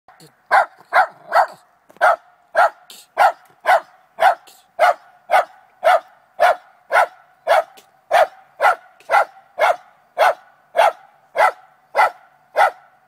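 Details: Trina, a Lakeland Terrier, barking in the morning at a chipmunk hiding in a downspout, determined to get it; sharp, regular barks in a steady run of about two per second, with a few quick doubled barks early on.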